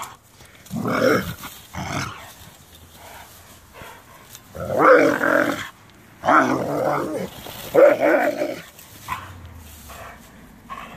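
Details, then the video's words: Doberman reacting to a rake it dislikes: short harsh barks with growly edges, two quick ones near the start, then three longer, rougher bursts spaced about a second apart, separated by quiet gaps. "Doberman has a problem with a rake / Доберману не нравятся грабли"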